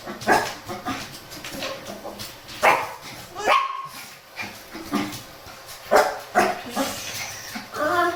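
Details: On a cool morning walk, a Shih Tzu complains beside a playful Miniature Pinscher; a string of short, high yelps and whining barks at irregular intervals, some rising in pitch, over steady background music.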